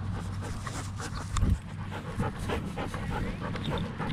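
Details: Female German Shepherd panting during a training session, quick breathy puffs in a steady rhythm over low rumbling background noise, with one brief louder thump.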